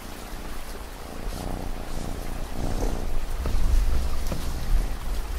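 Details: A cat purring: a steady, low, rumbling throb under a continuous wash of falling rain, the purr growing slightly louder in the second half.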